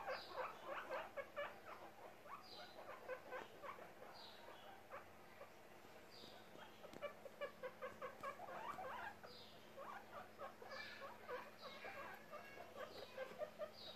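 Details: Charlote, a baby guinea pig popcorning with happiness, keeps up bouts of quick, bright squeaks, with a quieter lull midway and then renewed bursts. Thin high whistles recur faintly in the background.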